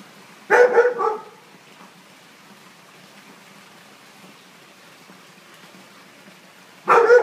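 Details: A Siberian Husky afraid of balloons gives a short burst of harsh, yelping barks, then another after a long pause.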